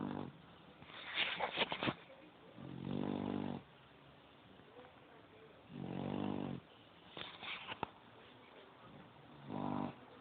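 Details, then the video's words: A sleeping pit bull snores in long, buzzy, low drones about every three seconds, with softer breathy hiss and brief clicking sounds between the snores. "pit bull honey2 (snoring)"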